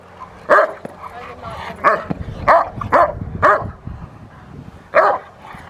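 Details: Rottweiler barking during protection work on the post, March 27, 2021: six or seven loud, harmonic barks roughly every half second to second, with low background hum and brief voices between them.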